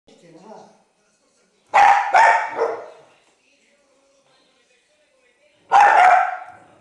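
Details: Maltese terrier, a five-year-old female and former stray, trying to eat a biscuit: three sharp barks in quick succession, a pause of about three seconds, then one more bark, in an otherwise quiet room.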